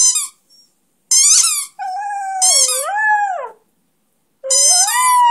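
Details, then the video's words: Flash, a one-year-old Beagle-Schnauzer mix (Schneagle), howls along with his favourite squeaky toy: bursts of high squeaks alternate with a long wavering, bending dog howl that rises and falls. "Crazy Beagle Schnauzer Howl sing"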